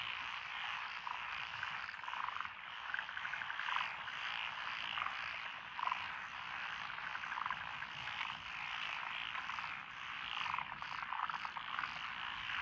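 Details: Lotus paddy fields by a rural road in Echizen, Fukui Prefecture, Japan, June 12, 2021: many frogs of several species calling at once, a continuous rattling, croaking chorus with occasional rapid trilled bursts rising above it.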